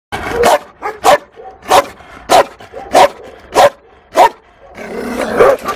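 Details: Fearful female Malinois at the SPA animal shelter in Toulouse, April 2014, barking: about seven sharp, evenly spaced barks roughly every half second, then a rougher, noisy burst at the end.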